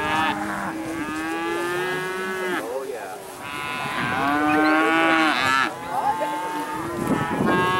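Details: Dairy cattle released onto pasture for the first spring outing, giving long, steady moos of two to three seconds each, several overlapping from different cows, with short breaks between and herd movement in the background.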